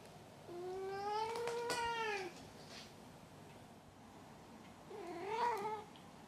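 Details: Two meows from Maru the cat: a long, slightly wavering call that rises and falls over nearly two seconds, with a few faint clicks, then a pause and a shorter, softer meow.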